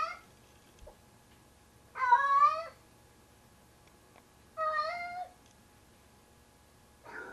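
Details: A heavy male domestic cat carrying a pair of socks it treats as its kitten to bed at night, giving long, wavering, drawn-out yowling meows about two to three seconds apart, each under a second long, in a quiet room.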